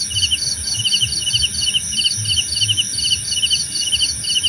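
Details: Crickets for relaxation: bright pulsed chirps in quick groups, roughly two per second, over a steady high-pitched insect hum and muffled low background noise.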